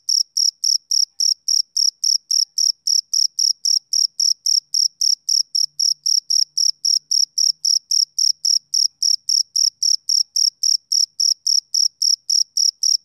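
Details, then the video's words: Male cricket chirping on a summer evening: clean, high, pulsed chirps repeated steadily, roughly four per second, very regular and evenly loud throughout, with no other sounds over a silent background. "Cricket Chirping Sound Effect"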